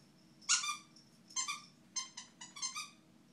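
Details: Boston Terrier puppy Ella, about three or four months old, acting tough indoors: five short, high, squeaky yelping bursts with bright harmonics, the first loudest, the rest bunched close together over three seconds, over a steady faint background hum.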